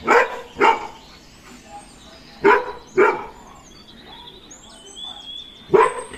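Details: Golden retriever scared of a balloon, giving deep single barks in pairs, about two within half a second, then a pause before the next, with faint high squeaky noises between.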